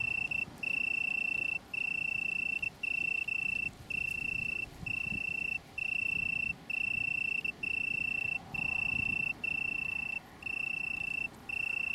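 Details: Italian tree cricket, Brighton area, UK, 21 September 2019, from a small colony: a sustained, pure high trill chopped into about a dozen bursts, roughly one per second, each separated by a short silence. Soft low rumble underneath.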